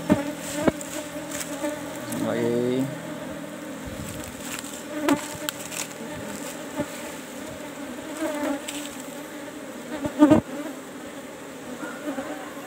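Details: Asian honey bees (Apis cerana) in beekeeping box number 17 during a honey harvest; a steady droning hum of many bees with low tonal bands, scattered clicks and knocks from handling the hive.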